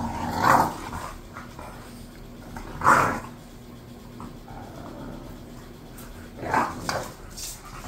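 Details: Two bored bulldogs kept as pets, Khan and Ali, let out three separate gruff growling barks, spaced about two to four seconds apart, against a quiet room.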